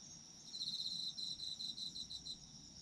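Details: Autumn insect chorus for sleeping to: a rapid, high, pulsed trill repeating in quick beats for about two seconds over a constant shrill background hum of many distant insects.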